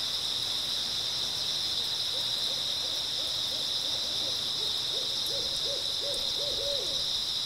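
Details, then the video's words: Early autumn night chorus of grass insects, an unbroken shimmering high trill throughout, with a long series of quick, rising-and-falling owl hoots joining halfway through and continuing to the end. "초가을 밤부터 새벽까지 백색소음 풀벌레 소리"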